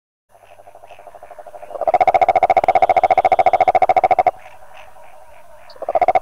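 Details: Rhinella margaritifera toad giving a loud pulsed trill of rapid, evenly spaced notes that lasts about two and a half seconds. A second trill starts right at the end, over a faint buzzing background of pulses.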